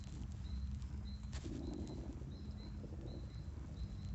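A horse's stomach churns with low, liquid gurgling and soft rumbles that barely pause. Faint, thin high chirps repeat lightly in the background.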